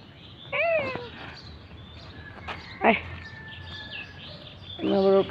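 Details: One of three roadside cats met in the morning, meowing as a person calls to it: a short arching meow, then a louder rich meow near the end, mixed with the caller's voice and street noise.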